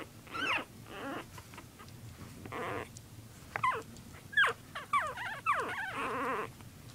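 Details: Puppies at play trade sharp descending yelps with rough, raspy growl-like bursts, the calls coming in uneven clusters over a low background.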